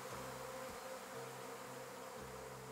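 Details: Western honey bee swarm in Sweden, the old queen flying off with thousands of workers to seek a new nest site: a dense, steady droning buzz with a low layered hum throughout.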